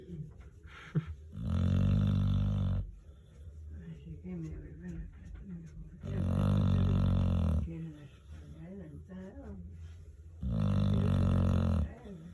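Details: Elderly pet dog snoring indoors: three long, low, buzzy snores come roughly every four to five seconds. Soft human voices talk in the gaps between them.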